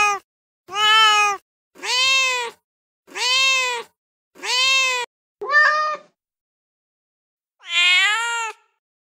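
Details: Domestic cat calling, offered as a sound that rats hate: a run of five loud, drawn-out meows nearly back to back, a short sharp one, a pause, then a final high, squeaky meow.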